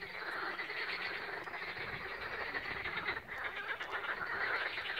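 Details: A dense frog chorus on the Balaton shore at Siófok-Aranypart, Hungary, 16 May 2021, recorded by mobile phone: overlapping croaks and rattling trills form a steady, unbroken wall of sound.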